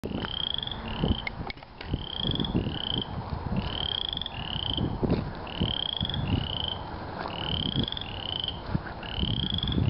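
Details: First frog heard this spring. Short, clear rising notes, often in pairs, are repeated about every second. Low rumbling background noise runs throughout.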